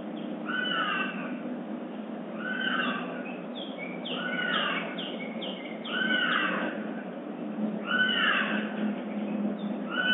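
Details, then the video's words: A captive bobcat at a big cat rescue sanctuary, at dawn in summer, gives wavering, nasal yowling calls that sweep down in pitch, repeated every couple of seconds. "Dawn chorus, bobcat style. Summer bobcat at Big Cat Rescue."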